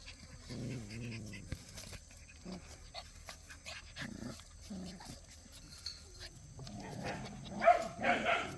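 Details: Cheondori's puppies at play: short, high, wavering whimpers and yips come in small bursts with pauses between, ending in a louder, brighter squeal near the close, over a low background rumble.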